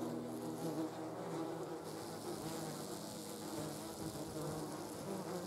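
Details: Yellow jackets around a jar of jam give a continuous, faint, buzzing drone with a wide hiss of outdoor background noise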